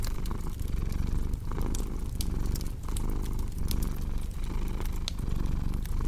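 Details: Low continuous cat purr with rhythmic rises and falls at each breath, layered under frequent snapping crackles from a fireplace.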